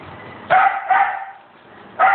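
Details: Shih Tzu puppies walking give three short, sharp, high yips: two close together, then one more after a pause of about a second. A faint low murmur sits underneath.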